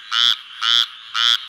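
A frog gives three nasal, buzzy croaks, each about a fifth of a second, repeated every half second.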